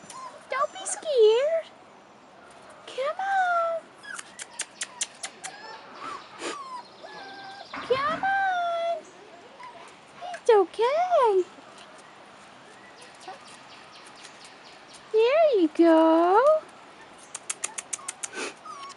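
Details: Rottweiler puppies, 4.5 weeks old, outside for the first time, give high, arching whines that rise and fall, scattered through the stretch in short bursts, with a person's coaxing voice and sharp clicking sounds between them.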